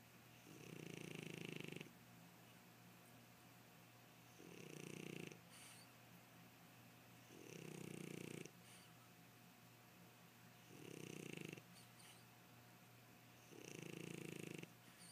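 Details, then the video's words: French Bulldog asleep across its owner's leg, snoring in a steady rhythm: five harsh, wheezy inhaled snores about every three seconds, each with a thin whistle, separated by quiet breathing, over a faint electrical hum. "My Frenchie Karma Snoring"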